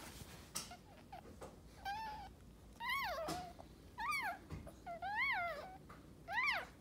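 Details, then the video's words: Birthing Maltese bitch indoors, second of three puppies arriving: a series of clear, arching squealing whines that rise then fall, about one per second, some paired, with faint rustling between them. "Maltese dog giving birth"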